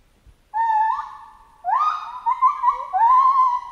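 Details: Chimpanzee in jungle giving long, wavering tonal calls that sweep upward and hold, rich in harmonics, several drawn-out notes run together over a few seconds against a quiet background.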